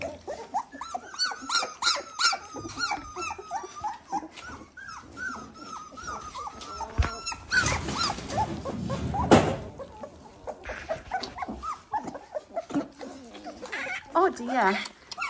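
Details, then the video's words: A litter of 18-day-old Dalmatian puppies lining up for scrambled eggs indoors. Overlapping short, squeaky whimpers rise and fall in a dense, busy chorus. A burst of broad clattering noise cuts in midway, with a man's voice nearby. "18 day old Dalmatian puppies"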